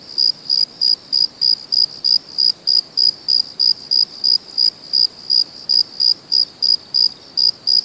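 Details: Night-time cricket chorus, natural setting; bright, high chirps pulse in an even rhythm, roughly three per second, with faint lower ticks and hiss beneath.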